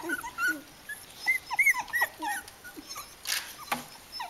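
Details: Litter of three-week-old Kooikerhondje puppies giving rapid, short high-pitched squeaks and whines, several clear piping notes in quick succession, with soft rustling and a brief scuffle near the end.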